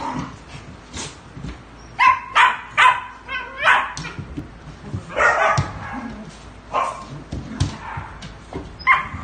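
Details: Dogs giving short, sharp barks and yips in scattered bursts, a loud cluster of three around the middle and a few more toward the end, over a low background murmur.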